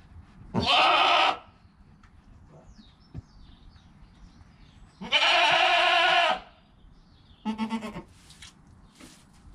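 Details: Joel, a goat kid less than an hour old beside his mother Penny, bleats in long harmonic cries about every four to five seconds, the last one shorter and wavering, over faint rustling.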